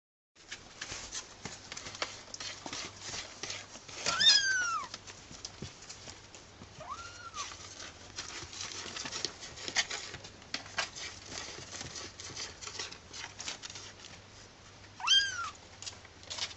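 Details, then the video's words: Six young kittens rescued from a garden; three short, thin mews, each rising then falling, come several seconds apart over a steady low hiss and soft rustling handling noises. "young kittens"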